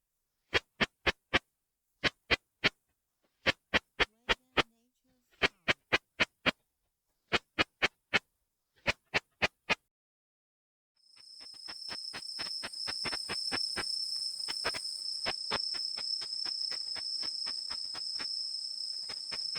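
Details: Ultrasonic call of the katydid Tettigoniopsis ikezakii from Japan, made audible through a bat detector: sharp clicks grouped in threes and fours, repeated roughly every 1.5 seconds, giving way to rapid continuous clicking over a steady high-pitched tone.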